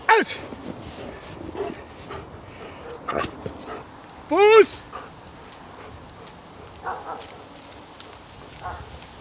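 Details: German Shepherd during obedience and protection training, giving two sharp, harmonic-rich barks, one at the very start and a louder, drawn-out one near the middle, amid rustling, scattered thumps and faint human voices.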